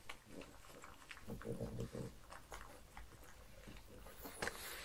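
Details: Mars the pug at breakfast, offered croutons, beef bacon and cucumber; short nasal grunts and snorts run together for about a second, then scattered crisp chewing clicks in a small quiet room.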